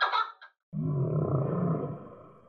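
A voice says the name, then a whale gives a low, steady, rumbling moan lasting nearly two seconds.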